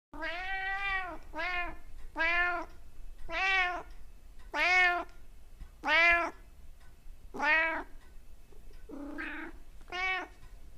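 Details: Domestic cat making odd, funny sounds: about nine loud drawn-out meows, each rising then falling, spaced roughly a second apart, with one shorter, rougher call near the end, in a quiet indoor setting.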